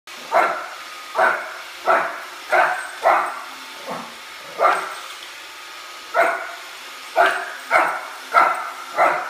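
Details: Oliver, a Shih Tzu puppy, barks at a Roomba robot vacuum, unhappy with it: short sharp high-pitched barks in irregular bursts, about twelve across the stretch, over a steady mechanical hum.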